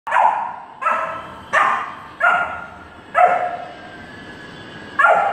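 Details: Saint Bernard puppy playing with a Dalmatian, giving six loud deep barks roughly every second, each sharp at onset and fading, with faint background hum.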